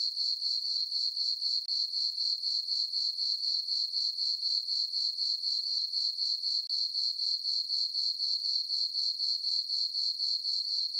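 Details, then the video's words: On a peaceful summer night in a farm meadow under a full moon, crickets keep up a high, bright chirping, pulsed steadily about four times each second, otherwise quiet. "Cricket chirping sounds for sleeping - sleep and relaxation nature sounds at night"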